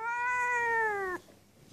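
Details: Seal point Siamese cat indoors, meowing after being asked to say hello to everyone, described as talking: one long, drawn-out, clear meow lasting about a second, steady then gently falling, ending abruptly into a quiet room.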